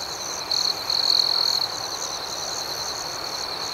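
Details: Night cricket chorus with a continuous shrill trill and rapid, rhythmic higher chirps above it; one nearby insect rings out loudly for about a second early on before the steady chorus resumes.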